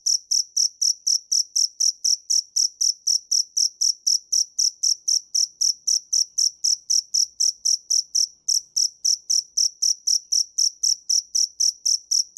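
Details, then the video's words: Steady, fast chirping from a dế mèn cricket: high, ringing pulses repeated roughly four times a second with even rhythm and nothing else audible. "Tiếng dế mèn hay nhất 2017 - The crickets - Cricket"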